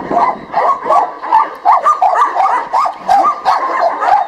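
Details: Female Labrador Retriever at a shelter in Rzeszów, Poland, heading out for a walk, giving quick, rapid yelping barks at roughly three per second, uneven in rhythm, with faint background noise.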